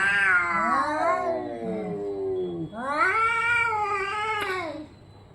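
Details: Fighting orange and white cat yowls: a long wavering wail that slides downward, then after a short dip a second rising, sustained howl that fades out, over a faint low hum.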